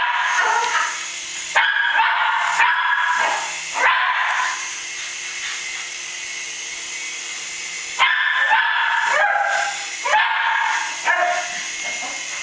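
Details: Cairn Terrier barking while chasing a toy helicopter: clusters of quick, shrill yaps separated by quiet stretches where only the toy's humming motor tone carries on.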